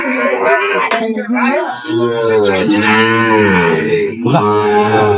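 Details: Sahiwal bull calves being bought and sold at the opening of Ambari cattle market, Dinajpur, Bangladesh, on 9 June 2025. A long, low, drawn-out moo swells and then falls, amid men's haggling voices and steady market chatter.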